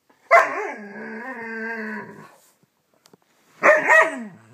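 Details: A playful young Siberian Husky pup, burning off energy before bedtime, gives a drawn-out, wavering woo, then a shorter falling yelp.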